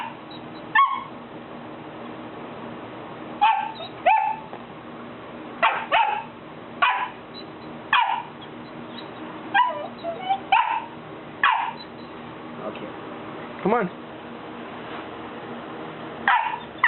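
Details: Buddy, a three-month-old Golden Retriever puppy, stands at a step he fears to descend and barks at the people calling him. Short, bright barks repeat roughly every second, mixed with one drawn-out whining note near the end.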